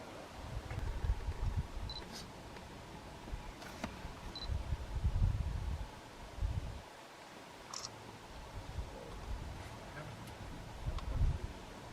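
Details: Camera shutter clicks and low rumbling outdoor noise with faint clicks; no animal sound is heard.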